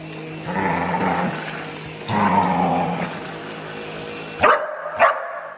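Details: Border Collie going after a vacuum cleaner: two long, rough growl-barks over the machine's steady roar, then the vacuum cuts out and two sharp, clear barks ring out about half a second apart.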